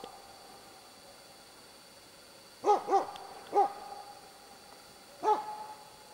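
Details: Hunting dog baying at three moose, a cow and two calves, at Båthussjön, Huskölen, 2008: four sharp, clipped barks spaced unevenly after a quiet start, over a faint steady high background tone.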